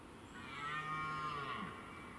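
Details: A red deer (Cervus elaphus) gives a drawn-out, low, moaning rutting call lasting over a second, heard on a morning in the forest during the rutting season.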